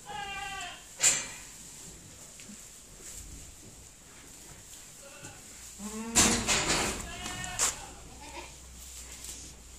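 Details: Pedigree dairy goats relaxed in their shed in October; a brief bleat opens, then sharp bangs and rustling, and a second, louder bleat breaks out alongside clattering knocks near the end.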